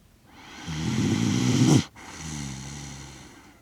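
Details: Kaki-Maru, a Shiba Inu aged six years and one month, snoring in sleep in Rotterdam on 30 September 2025, captured with a DJI Mic Mini; one long swelling rattly inhale-snore ending abruptly, followed by a softer drawn-out exhale.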